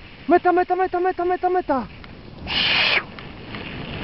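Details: Dogs Yolan and Adora during a bikejoring training free run at Sowinki on 6 January 2015: a quick series of seven short, harmonic yelps at an even pace, ending in a falling note, followed by a burst of wind rush.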